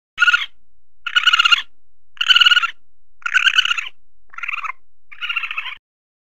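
A red panda gives six short, pulsing squeaky bursts, each about half a second long.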